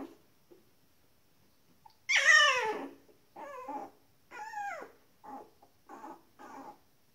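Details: Nineteen-day-old Shetland Sheepdog puppies indoors giving a loud high squeal, then five shorter wavering whimpers, each bending up and down in pitch, spaced about a second apart.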